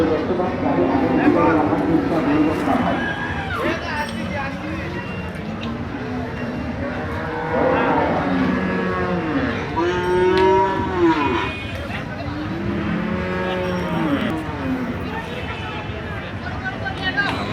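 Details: A 13-month-old Jersey heifer calf on a dairy farm in Bangladesh, offered for sale, gives several low, drawn-out moos with curving tones. Men talk and traffic rumbles in the background.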